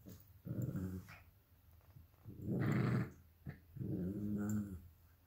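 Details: Three drawn-out, rumbling growls, each about a second long and rising slightly in intensity, come from two dogs fighting over a toy fox: a 12-week-old Alaskan Klee Kai cross Pomeranian puppy and a 7-year-old American Eskimo cross Chihuahua, indoors.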